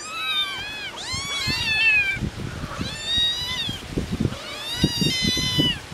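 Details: Three hungry domestic kittens with their mother farm cat, outdoors on a windy day, give a string of high, arching meows that rise and fall in quick succession while calling for food.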